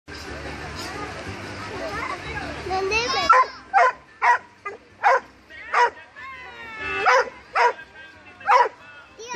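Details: Rhodesian Ridgeback barking: after a few seconds of a person talking, a run of eight sharp, loud barks follows at roughly half-second to one-second intervals, each bark clipped and bright, with a quiet room between them.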